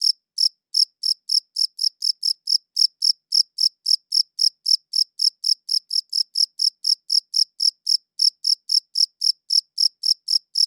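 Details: A cricket chirps in a clean recording made on a good audio recorder, its high, sharp pulses coming about four per second in a fairly even, continuous series, with no other sounds present.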